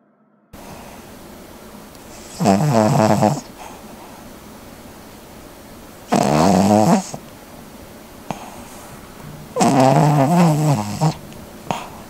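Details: Cavalier King Charles Spaniel named Chalsuni snoring while asleep indoors; three loud rasping snores with a fluttering harmonic rattle, each about a second long, spaced roughly every three to four seconds over a steady low room hum.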